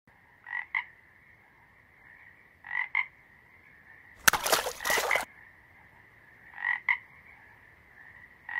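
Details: Frog croaking: short paired bursts around mid pitch recurring every two seconds over a steady background chorus hum, interrupted midway by a loud broadband splash-like burst lasting about a second.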